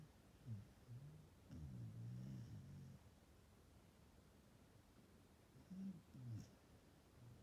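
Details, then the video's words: Australian Shepherd named Sana snoring while napping, her snoring said to grow richer with age; low rumbling snores in two bursts around the first and sixth seconds, quiet room otherwise. "Australian shepherd Sana is snoring in her napping"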